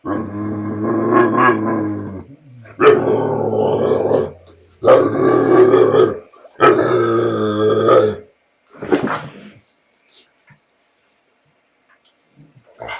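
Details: Frightened American Bulldog, hesitating to reclaim his bottle from a border collie, gives long rumbling growl-groans in four sustained bursts of about a second and a half each, then quieter grumbles fading out.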